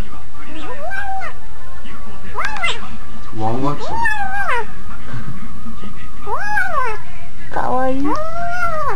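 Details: Domestic cat, recorded in a car, giving a series of arched, tonal meows that rise and fall, about six calls over nine seconds, with a person's voice and faint music in the background.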